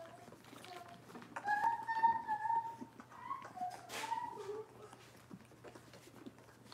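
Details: Cavalier King Charles Spaniel puppies from one litter, indoors on a kitchen camera: high, thin whining notes, some held and some wavering, spread across the middle seconds over a steady low hum and faint room noise.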